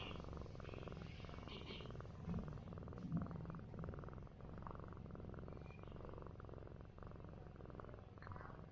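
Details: A big orange village cat, after fighting wild cats all night and sleeping on a stool all day, purrs while being massaged: a steady, low, rumbling vibration runs throughout, with faint soft rustles above.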